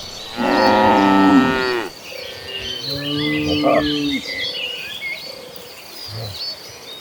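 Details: Herd of gentle cattle heading toward green pastures: one loud moo of about a second and a half, then a softer, lower moo from another cow, while birds twitter faintly behind.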